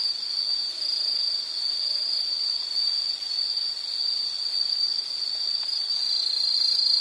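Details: An insect trills continuously in this nature soundscape, a high, sustained metallic drone with a few faint softer sounds beneath it early on.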